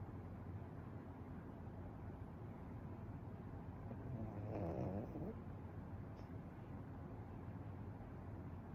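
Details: Sound-asleep Pekingese snoring nonstop, giving one short rattling, fluttering snore midway through a quiet stretch of low room hum.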